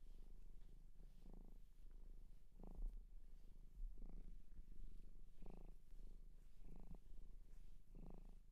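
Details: Shelter cat in Japan purring close to the microphone indoors: deep continuous rumble with rhythmic louder surges about every one and a half seconds, marking each breath, with faint soft rustling.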